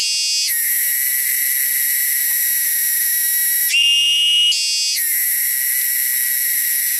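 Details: A loud, shrill insect drone from wild cicadas, held steady and piercing, with two abrupt shifts in tone partway through before settling back.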